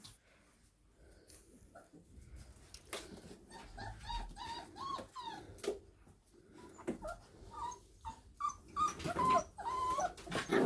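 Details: Five-week-old Staffordshire Bull Terrier puppies chewing on a shoe in a small room whine and yip in high, wavering bursts in irregular clusters, with scuffling and chewing noises and a person's voice briefly near the end.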